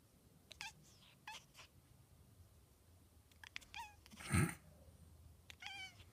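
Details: Cat making a funny noise, with a fly mentioned, giving short high chirps that drop in pitch, about four brief bursts spread over six seconds, plus one louder thump near the end against a quiet background.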